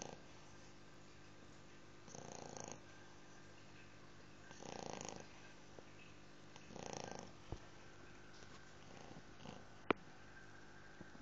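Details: A 2-month-old English Bulldog puppy snores in soft, rasping breaths roughly every two seconds.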